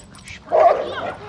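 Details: American Bully dog at play letting out one short, strong woof, a loud burst lasting about a third of a second that trails into a softer breathy tail.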